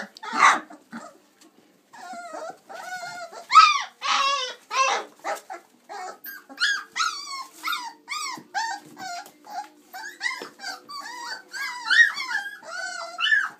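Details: Twenty-six-day-old chocolate Labrador Retriever puppies playing in and out of their whelping box; a long stretch of many overlapping short whimpers, yips and squeaks from several pups, with a few louder yelps.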